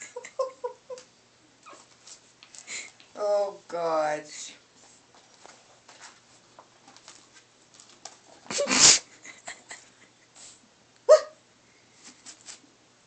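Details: Gizmo, a pug puppy, indoors in a small room, giving a few short sharp barks and high yelps among whimpering sounds, with a person talking and a short harmonic whine around the fourth second.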